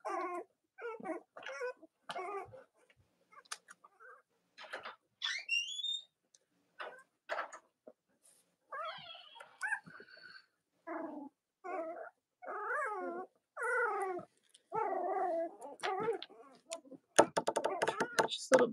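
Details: Cavalier King Charles Spaniel puppies from Robin and Myra's litters, watched indoors on a chilly Monday morning just before Halloween; they give repeated short, wavering whines and high yips in quick bursts, ending with a rustling clatter of noise.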